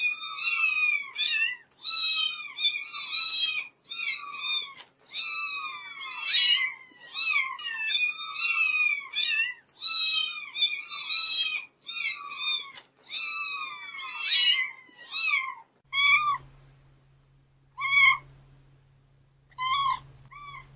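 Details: Domestic cats meowing in a small indoor room: a dense run of rising-and-falling meows, several overlapping voices, giving way to sparser single meows every second or two near the end, with a low steady hum.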